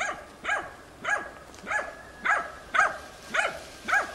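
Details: Barks from Tina, a hunting dog working young wild boar in a training session, recorded 6 March 2013. A steady run of eight evenly spaced, strong barks, about two each second.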